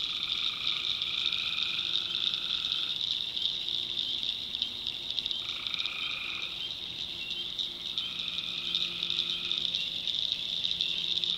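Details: Tree frogs calling at night in a North Carolina backwoods swamp: a dense, steady high-pitched chorus, crossed by droning notes of one to two seconds that start and stop in overlapping bouts, with a faint low hum beneath.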